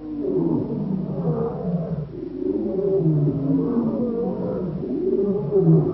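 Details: Two young wild male African lions near Boyela Waterhole in Kruger National Park, South Africa, giving deep, drawn-out roaring with wavering harmonic bands, sustained and swelling through the whole stretch without pause.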